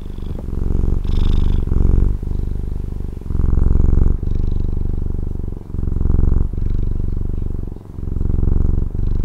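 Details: Domestic cat from Taiwan purring: a steady, deep, buzzy rumble that swells and fades with each breath, roughly every one to two seconds, with brief soft breaks between inhale and exhale phases.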